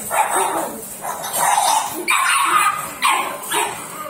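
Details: A white pug, a rare breed, barking in a string of five short sharp yaps spaced roughly half a second to a second apart, each strong and bright, with people talking faintly in the room.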